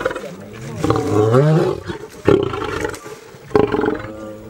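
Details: Caged lion; a deep, groaning roar swelling and rising for about a second, then short gruff bursts, with people's voices mixed in.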